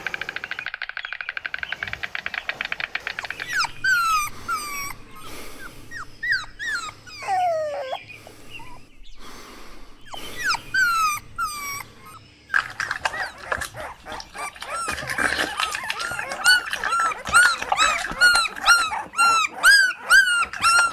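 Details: Playful puppies competing for toys on green grass: a rapid stream of high, squealing whines and short yips. Some calls bend sharply up and down, others come as quick repeated chirps, with rustling scuffles between bursts.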